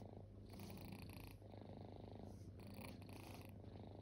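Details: Close, strong purring from resting kittens that were once homeless: a thick low vibration rising and falling with slow breaths, about three breath cycles, no other sounds.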